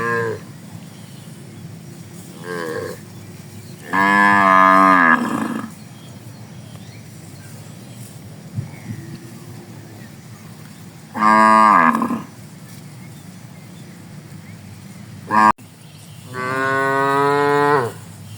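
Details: A herd of tame cattle moving slowly through green rice fields on a morning, grazing on fresh grass. A few spaced moos, one loud steady call of over a second, others briefer, with quiet background hiss between them.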